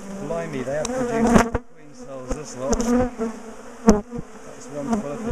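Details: Swarm of bees from a large top bar hive colony in a garden, disturbed as the hive is taken apart and moved; a continuous wavering drone of many insects, interrupted by loud knocks and brief pauses in the hum.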